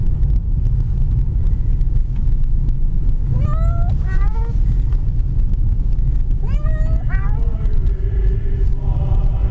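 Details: House cat taken for a drive, calling out: two brief clusters of two or three quick meows separated by a long stretch of heavy car rumble.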